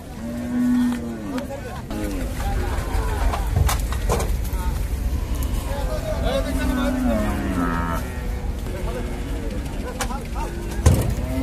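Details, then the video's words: Cattle being unloaded from a boat at the Paragram cattle market, a deep low moo near the start and a longer drawn-out lowing midway, amid steady crowd chatter, bumps and market noise. "নৌকা থেকে গরু নামাচ্ছে"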